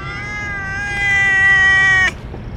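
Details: A long, drawn-out meow from one of several stray cats crowding in to be fed churu treats, holding steady and growing louder for about two seconds before breaking off sharply.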